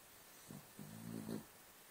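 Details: Cavalier King Charles Spaniel asleep and snoring: a soft, low, buzzing snore with faint harmonics, rising slightly in loudness over under a second, in a quiet room.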